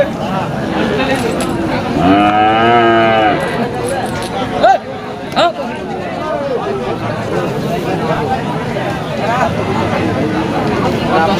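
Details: Friesian bull at a cattle market: one drawn-out, harmonic moo lasting just over a second, set among steady crowd chatter and men's voices discussing the sale.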